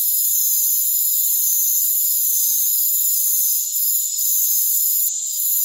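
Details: Crickets in a rainforest form a dense, unbroken high-pitched chorus of steady layered trills, with short faint flickers near the top around three to five seconds and no low sounds beneath.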